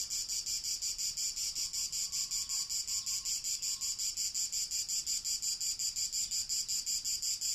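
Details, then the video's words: First cicadas of summer, recorded as real ambient sound on 28 June 2018: a steady, high, hissing buzz pulsing evenly almost three times per second, unbroken throughout, with a faint low tone drifting briefly underneath. "Le prime cicale"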